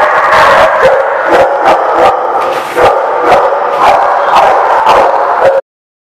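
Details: Dense barking from many dogs at The Barking Lot, 19 September 2016. Repeated sharp woofs and higher yips layer over a steady roar, and the sound cuts off abruptly before the end.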